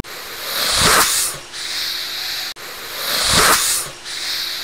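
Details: Alligator hissing: a long, airy, broadband exhale that swells and fades, repeated twice in close succession with no other sounds.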